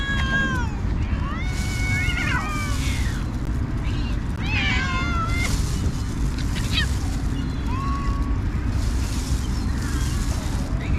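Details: Several cats meowing while a kind person feeds them; overlapping meows, some rising then falling, others short and sharp, come in quick bursts every second or two over a constant low background rumble.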